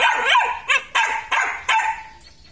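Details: Belgian Malinois male from a black and red-black litter at a Vietnamese kennel, barking five times in quick succession, each bark bright and sharp with a fading tail, gaps shortening then lengthening.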